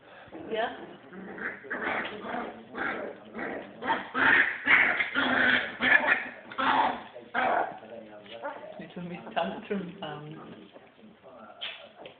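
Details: A litter of puppies, three weeks and six days old, yelps and whines in a busy, loud burst of short yips and rising cries, with a person speaking throughout.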